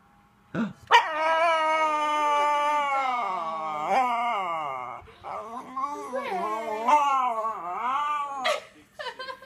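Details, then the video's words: Schnauzer vocalizing at dogs seen on television during a dog show broadcast: long, wavering, tuneful howls with rising and falling pitch, broken into several yodel-like phrases, with a faint voice nearby. "schnauzer talking to tv"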